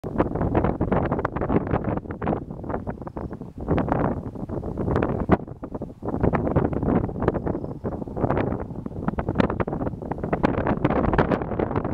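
Only heavy wind buffeting the microphone, low and roaring throughout, with no animal calls heard.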